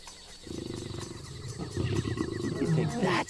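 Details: Lions heard at night on a night drive, making deep, throaty rumbling growls that swell louder over about three seconds, with a person talking over them and a faint, rhythmic, insect-like chirping behind.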